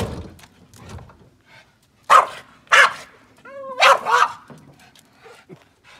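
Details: Boston terrier, a male dog, barking while upset by noises and movements during car cleaning: three loud, harsh barks about two to four seconds in, with whiny whimpers between them and a brief low whine near the end.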